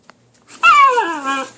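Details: Indoor puppy during a tussle with another puppy over a chew: one clear whining yelp that starts high, then slides smoothly downward over about a second, with rich harmonics and a small quiet room around it.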